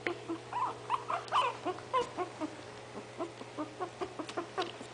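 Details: Five 20-day-old puppies of Itsy Bitsy poke around waiting for their mother to feed them, giving short high squeaks and whimpers in quick overlapping bursts, some rising and falling, roughly several per second, over a low steady hum.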